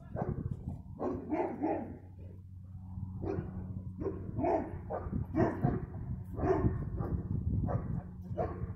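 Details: Continuous excited barking from a dog, filmed 15 February 2020: rough, overlapping barks tumble out almost nonstop in clusters of two or three, with a heavy low rumble underneath throughout.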